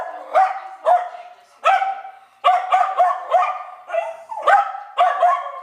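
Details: Rudy, a dog, barks anxiously indoors after the doorbell rings: loud, sharp barks, single at first and then in rapid runs of three or four, about a dozen in all.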